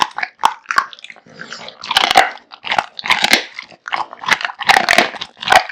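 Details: Male American Bully Kotetsu gorging on a heaped meal of raw meat and bones; loud bone crunches and wet chomps come in bursts roughly every half second with short silent gaps.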